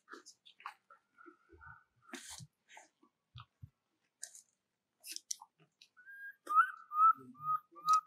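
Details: Baby monkey Jovi cries for her mother Joyce, under Rainbow's care, before falling asleep; scattered clicks, taps and rustling sounds give way to a run of loud, clear whimpering cries, each briefly falling, near the end.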